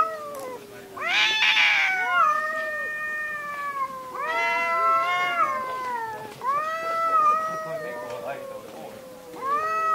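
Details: Cats in a fight, overlapping wavering yowls and screams held for one to two seconds, rising then falling in pitch, with a short harsh spit near the start; a nearly continuous stream of caterwauling.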